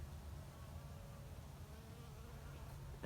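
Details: Honey bees at hives in Canada being winterized before a snow storm, bees coming out of the hive: a low, steady droning hum throughout, with a brief knock at the very end.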